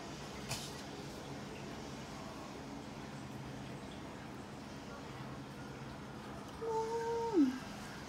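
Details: A chubby dog gives a single drawn-out whine near the end, held on a steady pitch before sliding downward, over a low indoor hum.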